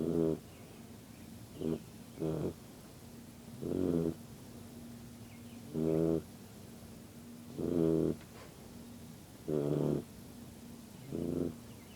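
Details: Yellow Lab puppy snoring while asleep: a regular series of short, harsh, buzzy snorts, some doubled, coming about every two seconds against a quiet background with a steady low drone.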